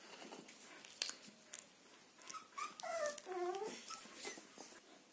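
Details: Border Collie puppies from a litter whimper indoors, a few thin wavering whines that rise and fall, mixed with soft shuffling and small squeaks.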